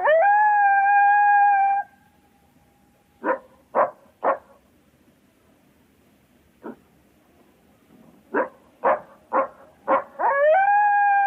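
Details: A coyote's sustained level howl breaks off into silence, then come sharp, short barks spaced unevenly, roughly three, one, then four in a row, before a rising howl starts again.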